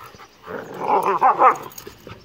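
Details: Two dogs, an 8-month-old bullmastiff and a 3-year-old Rottweiler and American pit bull terrier mix, playing roughly in a yard: a brief grumbling, whiny vocal burst in a few pulses, then quiet.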